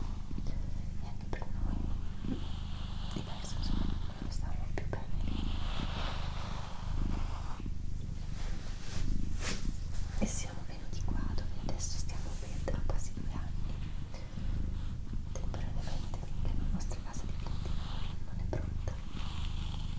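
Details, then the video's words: Steady low purring from Doroti, a female pet cat, rolling on in rhythmic throbbing cycles for the whole stretch, with quiet human whispers and occasional soft rustling on top. "Cat Purring"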